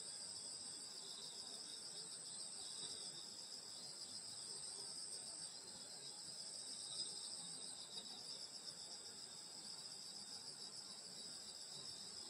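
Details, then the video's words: Summer night insect song in a Korean country village at a grandmother's home, many high trills merging into one unbroken shimmering chorus, lightly pulsing, with faint low background rumble. "여름소리 풀벌레소리 시골밤소리"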